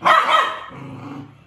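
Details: A two-month-old Samoyed puppy guarding its food gives a single sharp, raspy bark that fades into a lower grumbling growl, warning its owner away from its food.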